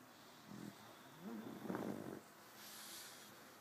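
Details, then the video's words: Sleeping pug named TiVo snoring: a soft snort, then a longer raspy, rattling inhalation lasting about a second, followed by a faint airy exhale. "TiVo the pug snores"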